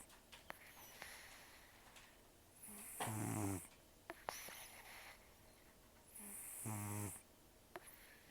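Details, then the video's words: Heavy snoring from Taro, a protected cat estimated at 10 to 14 years whose snores and nose breathing are very rough; two long, grinding, vibrating intakes of breath with quiet wheezy exhalations and small clicks in a small room. "ねこのいびき 猫 いびき"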